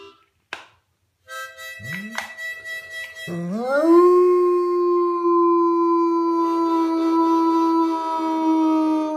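A Bloodhound howls with a swooping rise into a long, steady note over a harmonica.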